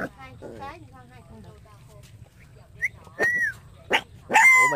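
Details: Puppy letting out loud, sharp yelping barks with a squeaky rising tone near the end, following a stretch of a person talking in Vietnamese.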